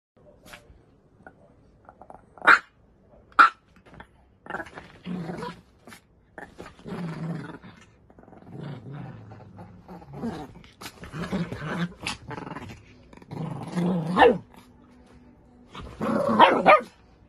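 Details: Puppies play fighting, giving low rumbling growls and short snarls in broken bursts, with a few sharp yelps and squeals toward the end.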